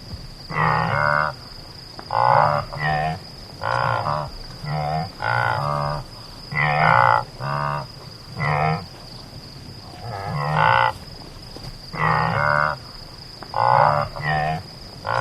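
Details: Deep, buzzy antelope calls given in clusters of two or three short nasal grunts, separated by brief pauses, over fifteen seconds, with a steady thin high tone running underneath.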